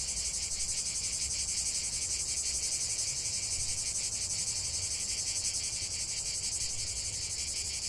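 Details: Relaxing nature recording of singing cicadas: a loud, piercing, buzzy drone that pulses several times a second in a steady rhythm, easing a little near the end, over faint low rumble.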